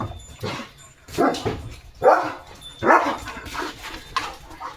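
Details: German Shepherd named Leo barking in soft morning sunlight at cattle passing through the farm field, India. Four or five loud, deep barks come at uneven intervals, with faint rustling between them.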